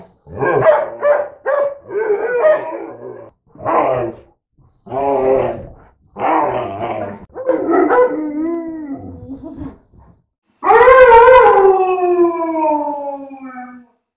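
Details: Retriever/Lab mix and husky/Lab mix dogs in a vocal back-and-forth: short barks and grumbling yowls, then a long falling howl-like moan, and finally a loud drawn-out howl sliding downward over about three seconds.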